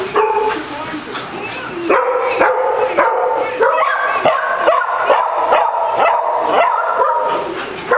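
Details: Basset Hound at a Las Vegas, Nevada dog day care, playing with a ball and running zoomies; after a short lead-in, a rapid run of ringing, harmonic barks and yips, roughly two per second, continues to the end.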